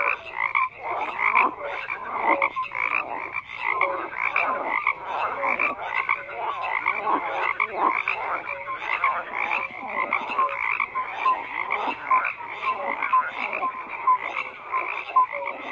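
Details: Many frogs croaking together in a dense chorus, overlapping harsh pulsed croaks packed closely with no gaps, plus short tonal notes scattered through; no other sounds stand out.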